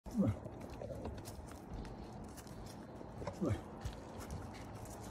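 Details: Huge bull moose walking out of the woods and past a parked truck on a back street in Anchorage, Alaska, grunting as he goes: two short, low, falling grunts about three seconds apart over a steady low rumble.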